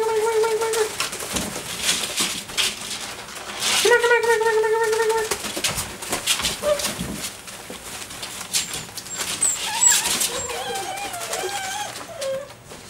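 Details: Group of six-week-old Dobermann puppies chasing a flirt pole indoors: a short whine opens, a longer, steady whine follows a few seconds later, then several higher, wavering whimpers come near the end over constant scrabbling and knocking.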